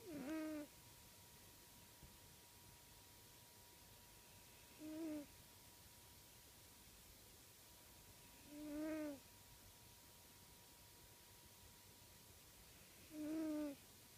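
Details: Sleeping pet cat Uncle Stitch breathes heavily enough to count as snoring, heard across the room. Four brief nasal, wheezing tones, each with a slight pitch dip, repeat at even intervals of about four seconds against a low constant hum.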